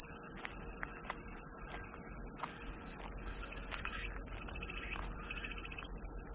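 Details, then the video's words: Cicada buzzing used as calming white noise, a sustained shrill drone that dips slightly in strength near the middle before swelling again, with light bird chirps scattered underneath. "백색소음 마음이 평온해지는 매미소리"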